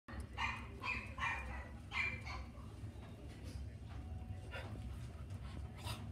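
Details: A Pembroke Welsh Corgi in a pet shop in Sagamihara gives a quick run of high, sharp yapping barks over a low indoor rumble.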